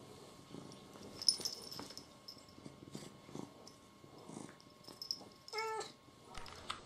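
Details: Pet cat indoors making low purring pulses that break into one short, tonal meow near the end, followed by a brief low thump.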